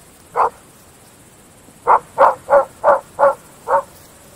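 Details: Belgian Shepherd Groenendael dogs barking at night in open fields: a single sharp bark, a pause of over a second, then six loud barks in a quick run about three per second, against a faint steady background hiss.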